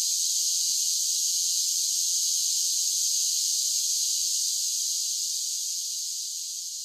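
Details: Cicadas in summer producing a constant, piercing electric buzz with no pauses, slightly fading toward the close; nothing else audible over the steady high drone.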